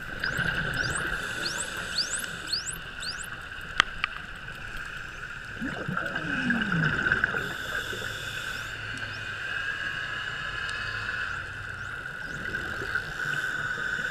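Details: Friendly bottlenose dolphins met underwater at Shag Rock on a dive safari, filmed with a GoPro 3; a quick run of high rising and falling whistles opens the clip, then clicks and scattered sweeps over a steady engine-like hum.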